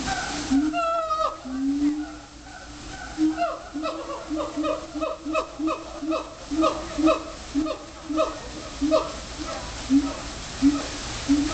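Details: Siamangs at a zoo, heard from far away, call to each other in a series of loud, hooting howls that rise and fall in quick succession.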